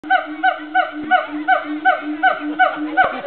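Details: Siamangs at Woodland Park Zoo call in a fast series of loud, nasal, bark-like hoots, about three a second, each note bending slightly in pitch, over a steady low hum.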